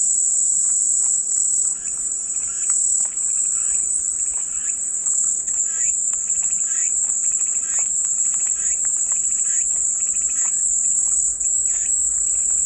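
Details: Cicadas drone in a continuous shrill, hissing buzz, high and unbroken throughout, offered as soothing white noise, with scattered soft chirps and calls in the lower background.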